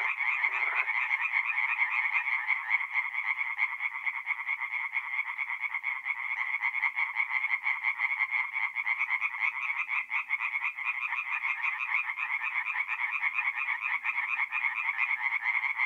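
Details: Chorus of tree frogs at a north-east Italian forest pond at night in mid-April, many animals calling at once in fast, harsh pulsed croaks that merge into an unbroken rattling din.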